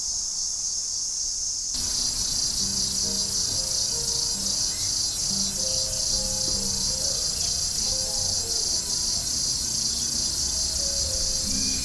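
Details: Cicadas, Platypleura hilpa, at Sanzhi, Taiwan in July, captured on a Sony A7s3 with Rode VideoMic NTG; after a quieter opening, a dense, shimmering high buzz swells in and continues, layered over scattered lower tonal notes and background noise.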